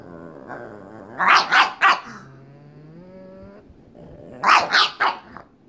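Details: Playful pug Waddles pestering pug May to play, indoors; a run of three rapid gruff barks, then a long drawn whining growl, then another triple burst of barks.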